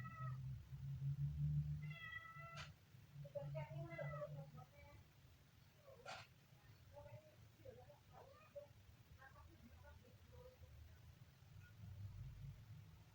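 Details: Kitten giving a series of high, thin meows, some short and some drawn out with a downward slide, spaced irregularly over several seconds, over a steady low hum with possible voices in the background.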